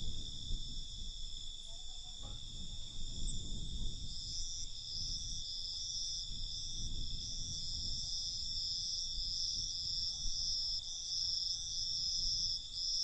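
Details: Night crickets produce a steady high shimmering trill that grows stronger and more pulsing after four seconds, accompanied by fluctuating low rumbling background noise.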